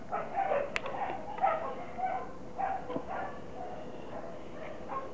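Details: Fifteen-week-old Border Collie pup, son of Kim and Indi, letting out a run of brief, thin whines and soft yips about once a second, each rising or falling slightly, over a steady quiet background hum.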